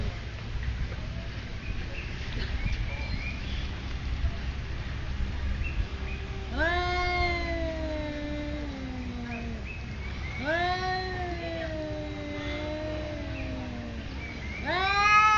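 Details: Two cats face off territorially at a resort in Thailand; after quiet background, three long moaning yowls arrive, each bending downward, the last cut short at the end.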